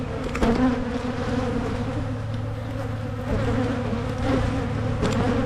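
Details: Honeybee hives in Michigan opened for splitting to prevent swarming; an unbroken buzzing drone over a deep steady hum, with several sharp knocks and clicks from handling equipment.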